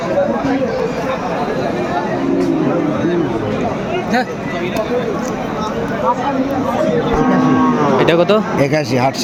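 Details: Sahiwal bull calves at a cattle market, bought by a farmer from Comilla, Bangladesh, on 17 August 2024; low, drawn-out moos rise and fall beneath dense crowd chatter and nearby talking.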